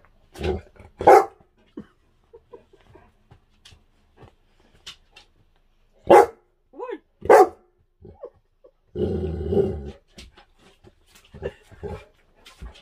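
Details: Puppy with its owner at home, giving a few short broad barks spaced irregularly, with a longer rough growl-like burst near the ninth second and quiet handling noises between.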